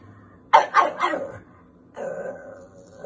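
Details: Pug dog giving three quick, sharp barks in a row, close and loud, then a softer, drawn-out grumbling sound after a short pause, in a quiet indoor setting.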